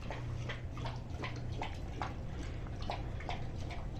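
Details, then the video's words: Rousseau, a Greater Swiss Mountain Dog, laps up a homemade soup of turkey, carrots, cauliflower, red bell pepper, coconut oil, flax seed and water indoors. Wet slurps and laps repeat steadily about every half second over a low constant hum. "Rousseau eating soup - Greater Swiss Mountain Dog"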